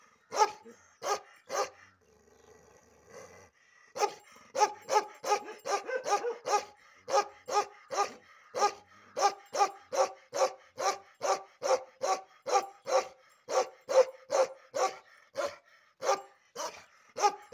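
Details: Aggressive Bakharwal dog barking while its ear and tail hair is cut: rapid, harsh barks repeated more than twice a second in long runs, with a brief pause near the start.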